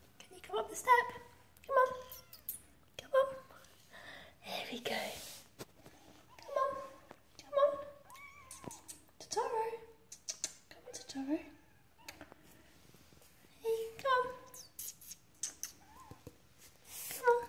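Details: Persian Siamese kittens Totoro and Suki, struggling to climb a step, mew repeatedly: a steady run of short, high, slightly rising cries every second or two, mixed with a person's encouraging speech.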